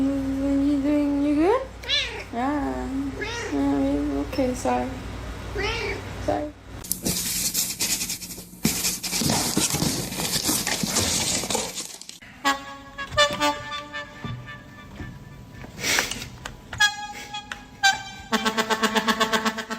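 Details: Domestic cat meowing indoors: a run of rising, wavering meows in the first seconds, then a jumble of loud bursts, clatter, human speech and other noises.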